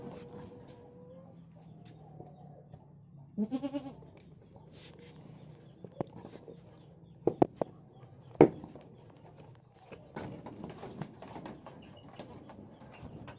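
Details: Goat stuck fast, in great pain and unable to stand, gives a short wavering bleat with stacked harmonics near the fourth second, after a faint steady tone; sharp knocks, thumps and rustling follow.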